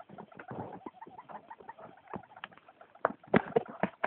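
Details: A female hamster at night gives a run of short, rough squeaks and clicks, quick and irregular; this is new behaviour that worries the owner.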